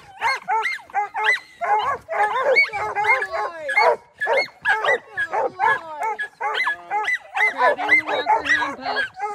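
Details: Treeing Walker Coonhound pups during training, barking and baying excitedly; rapid overlapping bawling barks with drawn-out, falling howled notes, several dogs calling at once with little pause.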